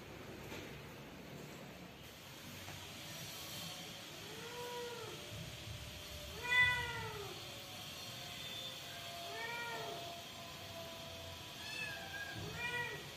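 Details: Newborn kittens in a family home, meowing in a series of thin arched cries that rise and fall, several overlapping and repeated every second or two, over a soft background hum.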